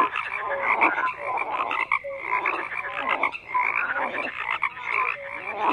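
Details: Dense frog chorus with many overlapping croaks: raspy pulsed calls between mid and high pitch, short tonal notes scattered throughout, steady and continuous with brief dips in loudness about every second.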